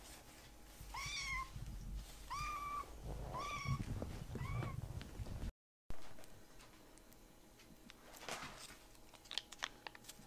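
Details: Rescued baby kitten asking for another helping of treats, giving four short repeated meows in quick succession during the first half, then quieter rustling and clicks indoors after a brief break.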